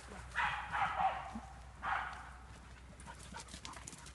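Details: Jagdterrier barking during training on wild boar inside an enclosure; a few short, harsh barks in quick succession, then a single bark after a pause, heard at some distance over faint background rustling.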